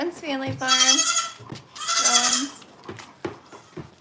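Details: {'text': 'Two strong, nasal, quavering goat bleats at a farm, each about half a second long, followed by soft knocks and shuffling sounds.'}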